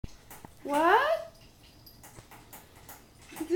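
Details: Indoor cat waiting for breakfast on a Saturday morning, one of three pets named Hyacinth, Otis and Julius: a single loud, drawn-out meow sweeping up and then down, followed by quiet room noise and a brief voice at the end.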